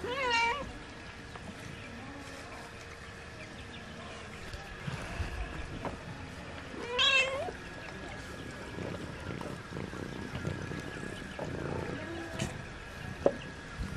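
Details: Ginger cat found in a hill area giving two drawn-out wavering meows several seconds apart, over a steady hum with people talking in the background.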